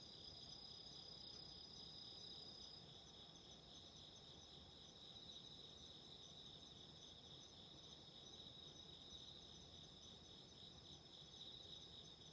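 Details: Autumn insects calling at night beside a candle flame in a relaxing sleep recording: a steady, unbroken high-pitched shrill trill made of several layered bands over a soft, constant crackling hiss.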